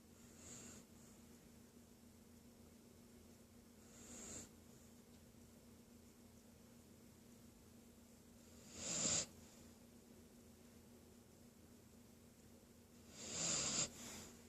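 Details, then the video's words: A female Bull Terrier, not yet asleep, snores in slow, breathy rasps every four seconds or so, growing louder toward the end. "Bull terrier snoring but not asleep"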